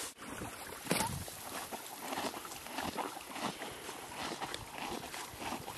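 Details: A horse named Billy chews green grass beside a creek, giving a dense, continuous crunching and grinding texture over the constant rush of running water.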